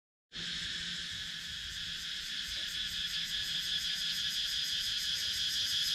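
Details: Cicadas in a wooded countryside area of Sakon Nakhon, Thailand, recorded on a GoPro Hero 9: after a brief silence a dense, shrill buzzing chorus starts abruptly, with a steady high hiss and fast pulsing about three times a second.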